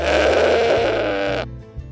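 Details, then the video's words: A domestic farm goat gives one wavering, nasal bleat lasting about a second and a half, over soft background music. "SOUND COW, GOAT, DOG, CHICKEN, DONKEY"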